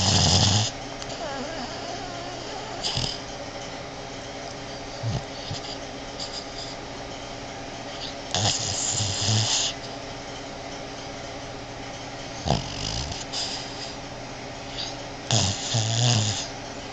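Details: Sleeping female Boston Terrier indoors, snoring like a man: several separate rough, breathy snorts and rumbles spaced a few seconds apart, some short and one nearly a second long, with soft room hiss between.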